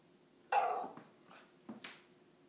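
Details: Dog begging for another dog's bone after finishing its own treat; a sharp whining yelp followed by softer short whimpers and a faint second burst, in a quiet room.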